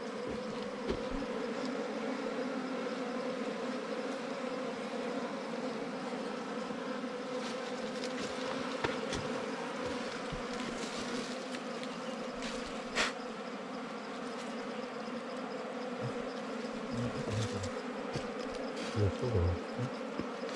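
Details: Wild bees found during a honey-hunting season outing: a steady, dense droning buzz holds throughout at a low-mid pitch with layered overtones, with scattered clicks and knocks of handling and brief rustles near the end.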